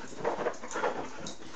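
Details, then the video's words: Casper, a pet husky indoors, excited at late hours before bed time; short whiny vocal bursts, two close together and a third after a brief pause, with a person's voice nearby urging the dog to bed. "husky dog "casper" excited about bed time"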